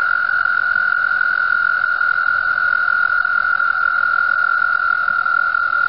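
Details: Spring mating chorus of frogs at a pond in Mt Gretna, calling from the water. One continuous, level trill runs at a constant pitch and loudness throughout, finely pulsed, with no breaks.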